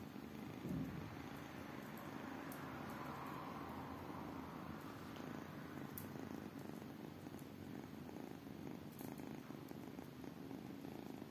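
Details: Small kittens purr in a constant low, fluttering drone, rough and rhythmic, with occasional faint clicks and rustling close by.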